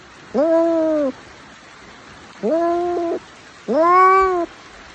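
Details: A cat gives three clear, drawn-out meows, each rising briefly then holding level for most of a second, spaced roughly one and a half seconds apart, against a faint steady hiss.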